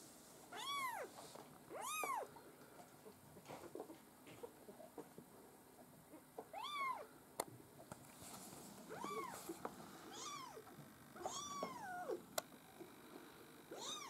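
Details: Maine Coon kittens from a breeder's litter, giving high arched mews that rise and fall, several in quick pairs spaced a second or two apart, over a faint steady background hum.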